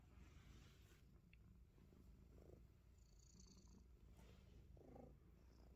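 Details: Himalayan Persian cat purring indoors while playfully biting fingers; a steady, low rumbling purr runs unbroken through the whole clip, with faint higher scratches and rustles over it.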